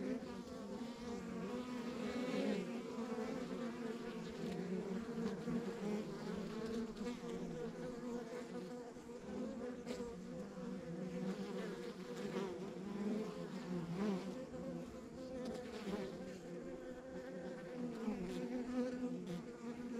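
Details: Continuous buzzing from a backyard beehive in the countryside, a thick low hum of many honey bees with occasional brighter whines of single bees flying near, steady throughout with gentle rises and falls.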